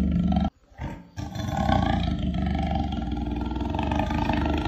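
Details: Jaguar giving a deep, rough roar with low rumbling pulses repeated rapidly; after a brief silent gap near the start the growling resumes and continues steadily to the end.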